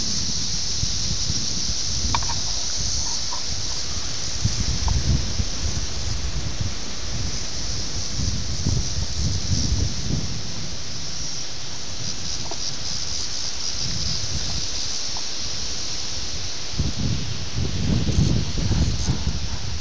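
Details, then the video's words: Periodical cicadas of Brood X emerging near Ayersville, Ohio, June 18, 1987, filmed with a VHS camera. An even, high-pitched buzzing wall of sound persists, partly masked by heavy low wind and handling rumble. "17 year Cicada, Ayersville Ohio,"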